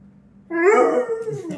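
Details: Pet Pit Bull demanding carrots indoors by a leaking fridge: a single whining, talk-like vocal that swoops upward, then holds a steady, harmonic-rich tone before trailing off.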